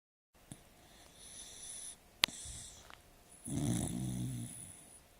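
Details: Sleeping female dog snoring indoors; soft, breathy rasps, then a louder, rougher snore lasting about a second near the end, with a sharp click midway.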